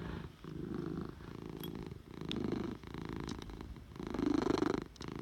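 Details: Domestic cat purring, a coarse low rumble rising and falling in breath-length waves, about four pulses of louder purring separated by brief softer intakes, in a quiet indoor setting.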